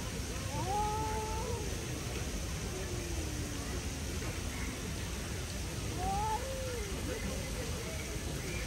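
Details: Stray street cats facing off as one tries to scare the other away: faint, bending moan-like yowls near the start and again later, half-buried in steady outdoor background noise.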